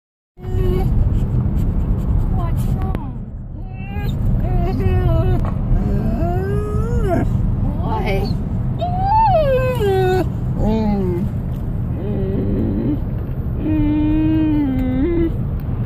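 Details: An 18-week-old Newfoundland puppy cries about having to go to the vet to get weighed. It gives drawn-out, wavering whines that rise and fall, one after another, over a steady low rumble like an engine.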